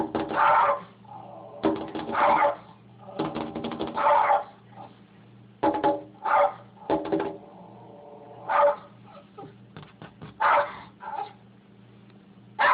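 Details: Sam, a rat terrier, barking at a noise on the other side of the window, with a foster pit bull named Atlas nearby; bursts of harsh barks come in irregular clusters over a steady low hum.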